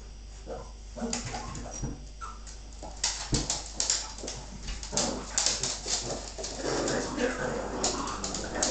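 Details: Bull terrier bitch in a play fight with her pups. High whimpers and yips fall rapidly over rumbling growls, with scuffling clicks. Some speech is heard and a low hum runs throughout.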